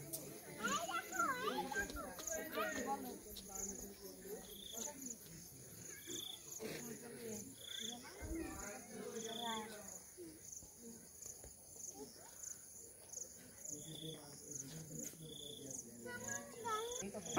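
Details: Crickets calling all around in the hills at Nilgiri: a steady high ringing trill running throughout, with repeated short pulsed bursts higher up, under loud speech that dominates the lower range.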